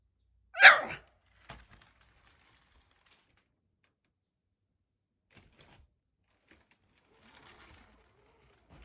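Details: Shiba Inu on 21 May, heard indoors, letting out a single short bark near the start, then long quiet with a few faint clicks and rustles.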